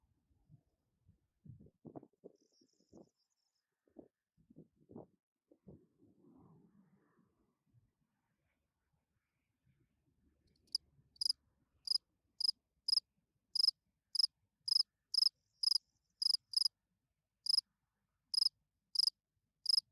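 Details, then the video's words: Spring field cricket calling at night, a song meant to attract females. Low rustling and soft knocks come first; after about ten seconds, short bright pulsed chirps begin, repeated roughly twice a second, about nineteen in a row. "Field Cricket chirping"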